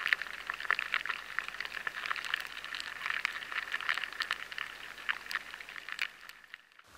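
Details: Lesser grain borers boring through stored barley grain, a dense patter of fine crackles and clicks like raindrops on tarmac, steady for six seconds before cutting off abruptly into silence.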